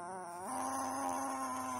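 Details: Growling Chihuahua resisting bedtime indoors: a sustained, whine-like snarl that steps abruptly up in pitch partway through, then holds steady and buzzing to the end.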